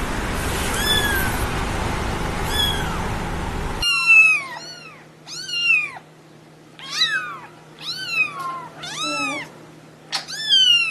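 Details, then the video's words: Newborn kitten mews, short and arched, repeated in a quick irregular run. They start under a hissing noise wash, then sound clearer over a faint steady hum. "Cute Newborn KITTENS MEOWING Baby Kitten Meowing Sound Effect"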